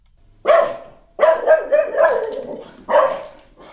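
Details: Dog barking at home, read as an alert that someone is at the door while it is unsure whether the visitor is familiar; six sharp, mid-pitched barks, four run together in a quick burst, then a final bark after a pause.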